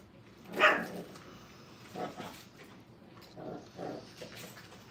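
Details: Five-week-old Brittany puppies playing at a training kennel. One sharp, bright yip stands out near the start, followed by a few softer, shorter yelps spaced about a second apart over a faint, steady background hiss.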